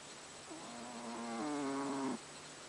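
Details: Haru the cat snores while sleeping, one extended whistling-nasal breath that steps up in pitch midway and grows louder for about a second and a half before cutting off, with soft steady hiss around it.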